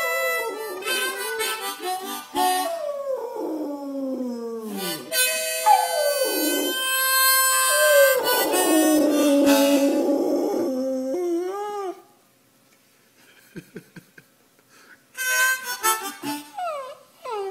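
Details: Pet dog named Bod howling along as its owner plays blues on harmonica: long wavering howls that slide down in pitch, overlapping bright harmonica chords, then a near-silent pause before more harmonica and rising yelps.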